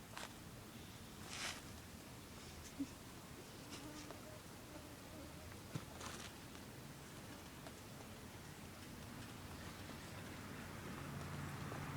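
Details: Quiet background with soft rustling, a few light taps and faint handling noises; no animal voice stands out.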